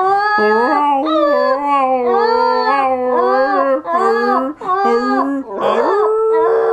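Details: Wilson, a border terrier, sings in a long unbroken howl: a wavering, harmonic-rich tone that slides up and down, with brief dips and a rougher, strained burst near the end.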